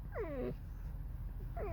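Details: Alice, a pet fox in a creaky, discontented mood, gives a mournful squeaking song: two whiny, descending squeals rich in harmonics, one at the start and another at the end, over a low background rumble.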